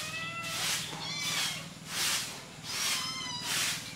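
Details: Hungry kittens feeding on their mother's milk and fighting for it: several thin, high-pitched mews, some wavering, come between soft breathy rushing sounds that recur roughly every 0.7 seconds.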